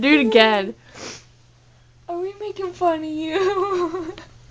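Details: Abby, a female pet dog indoors in a small room, voices her dislike of being buzzed at: a short wavering falling whine, a pause, then a longer tremulous howl-like moan rising and falling, with people talking and coaxing her around it.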